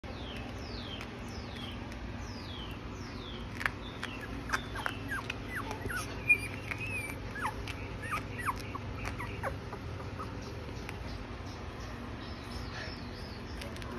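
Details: Miniature Pinscher puppy crying: a long run of thin, high whines, each sliding downward, coming every second or so, soft against a steady background hiss with a few faint clicks.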